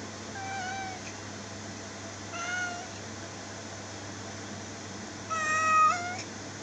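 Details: Indoor cat giving three drawn-out meows, clear and tonal with rich overtones: a short one near the start, a second about two seconds later, and a louder, longer, slightly rising meow at the end, over a steady low hum.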